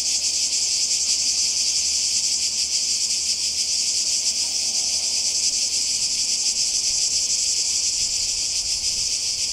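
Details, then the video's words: In Croatia by the sea, summer 2020, a loud cicada chorus fills the air with a constant sizzling, pulsing high buzz that never pauses. "Kroatien Zikaden und Meer"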